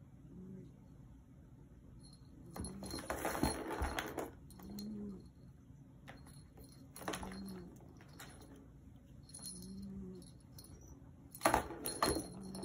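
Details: Black Maine Coon cat 'talking': a series of about five low, arched murmuring chirps or trills spaced a couple of seconds apart, with bursts of rattling, jangling household noise between them.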